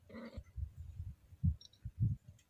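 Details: A female Scottish Fold cat in heat, lightly stroked, moans in her throat with a short, nasal, harmonic moan, followed by soft low thumps of handling.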